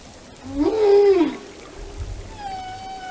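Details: Whale vocalization: a loud arched moan rising and falling over about three-quarters of a second, then a quiet gap and a faint steady high tone with harmonics.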